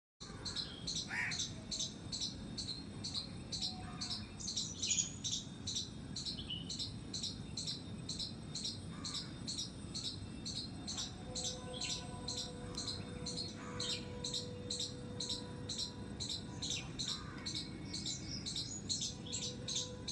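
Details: A squirrel in a terrace garden gives sharp, high squeaky chirps, repeated rapidly and steadily, over a low background hum; finding: squirrel.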